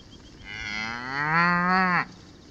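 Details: Hereford cow in a paddock at Tarrawarra, with two strangers on foot nearby, giving a single moo of about one and a half seconds. It starts low and swells into a rich, slightly rising tone, then breaks off abruptly.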